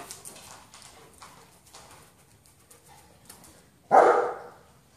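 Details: A German Shepherd lets out one sudden, loud, short bark near the end, following several seconds of quiet rustling and faint clicking.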